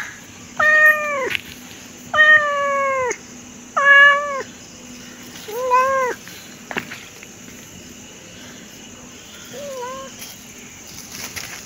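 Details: A pet cat producing five meows, the first three loud and drawn out with a downward tail, then a shorter one and a final faint cry, followed by several seconds of near silence.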